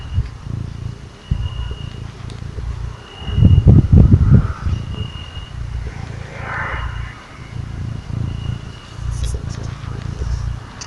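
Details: Little cat purring as it is cuddled: a low pulsing rumble, broken midway by a louder burst of handling or rustling, then settling back into the rhythmic breath-by-breath purr.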